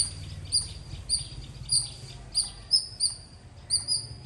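A squirrel gives sharp, high-pitched chirps, repeated roughly twice a second.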